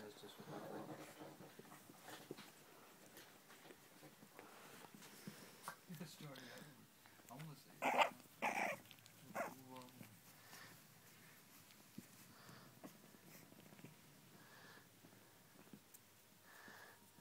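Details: Boston Terrier puppies at play, giving short, rough growls and yappy bursts that cluster near the middle, with quieter scuffles around them and a person talking softly throughout.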